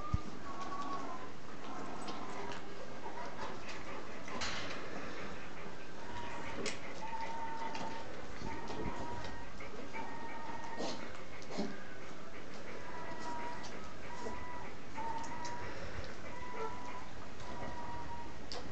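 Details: Three-week-old puppies of the Z-litter nursing, squeaking while the milk still tastes good; short thin squeaks repeat roughly every second over steady suckling and smacking noises indoors.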